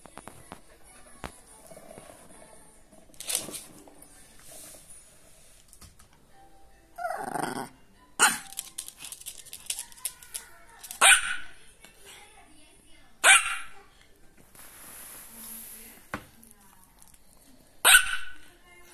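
A Pembroke Welsh Corgi gives sharp, spaced barks while guarding her ball.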